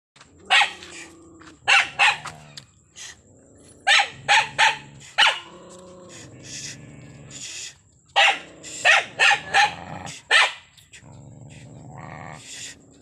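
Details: Angry dog barking hard in bursts of two to four sharp barks, with short quiet gaps and a low growl between bursts.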